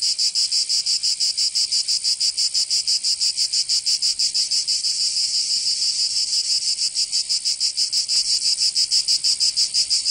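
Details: Summer cicada chorus in Provence, southern France, a harsh high buzz throbbing in quick regular pulses roughly three per second, unbroken throughout, nothing else audible.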